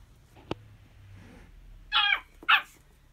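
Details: At home, a Pomeranian gives two sharp, high-pitched barks about half a second apart.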